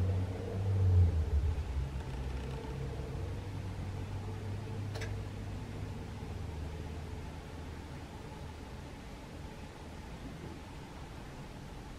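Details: Steady low traffic rumble with an engine swelling early and then easing off, plus faint outdoor background hiss; no animal voice stands out.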